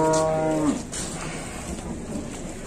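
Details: Large cattle being unloaded in Indonesia: a loud, drawn-out moo with a strong harmonic stack lasting about seven tenths of a second, ending in a brief upward slide, then quieter background noise.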